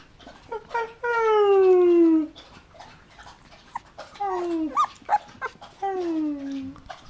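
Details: Golden Retriever puppies, 20 days old, playing with their siblings. Drawn-out, high whines slide downward in pitch, each lasting up to about a second. Three main whines are spaced a couple of seconds apart, with short squeaks and soft scuffling between them.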